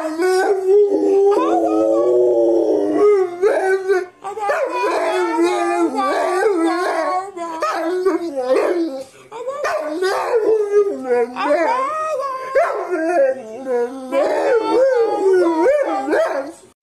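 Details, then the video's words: Dog 'talking' in a long, varied run of howls and yowls, wavering up and down in pitch with many short breaks and rapid inflections, like conversational vocalizing, continuing for most of seventeen seconds. "Smart Talking Funny Dog Videos"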